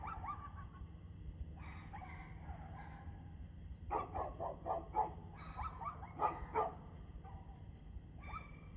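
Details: Dog heard on 2/6/2024 at 6:02 pm, opening with a few softer barks, then a rapid volley of louder, clipped barks midway before tapering off, with a constant low hum underneath.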